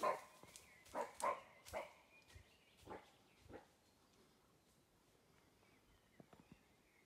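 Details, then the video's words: Wild roe deer barking on Monte Jouf, Friuli Venezia Giulia, Italy: a series of hoarse, harsh barks, several in quick succession then spaced about a second apart and fading, quiet natural background. "Capriolo che abbaia"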